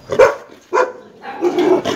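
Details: Belgian Malinois during a stud session, giving three short, harsh barks spaced about half a second apart, loud and close, with nothing else clearly heard.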